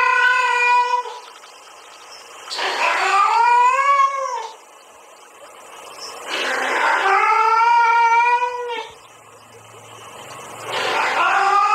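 A domestic cat gives long, drawn-out yowls that rise and fall, answering a female's mating call.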